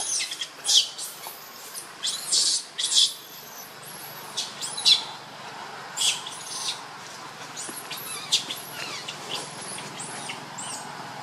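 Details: Piercing, looping squeals from baby monkey Lucie, crying from hunger for milk. The cries are loudest at first, then fade into softer intermittent squeaks.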